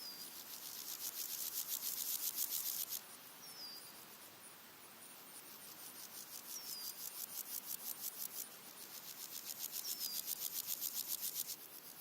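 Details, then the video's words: Red-legged grasshoppers, three individuals singing in daytime in early August: bursts of dry, rapid rasping pulses about four per second, alternating louder and softer, with thin whistled bird notes, other insects and wind behind. "Red-legged grasshoppers singing with other background insects and birds"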